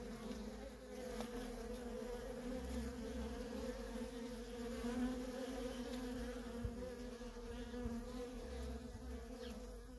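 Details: Steady swarm-like drone from worker honey bees trafficking at a feral colony, a rich layered hum holding level for ten seconds, with occasional brief louder passes of individual bees.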